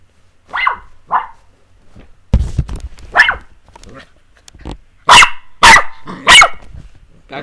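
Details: Puppies playing with a person indoors: short sharp high barks and yaps at irregular intervals, a loud cluster of three piercing barks near the end, with a thump and a girl's voice telling them not to bite.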